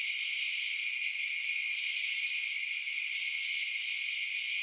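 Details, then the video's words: Constant shrill chirping of crickets after dark, several overlapping high trills blending into one even, shimmering drone. "Night Sounds Crickets Chirping"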